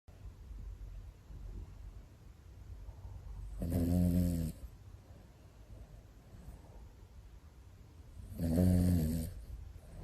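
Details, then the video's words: Two Pomeranian brothers, including a cream sable male named Cherry born June 2019, snoring while asleep indoors; two loud, rasping snores about four seconds apart, each lasting under a second, over soft steady breathing between them. "ポメラニアン兄弟～この いびき 大丈夫？と思う場面が…"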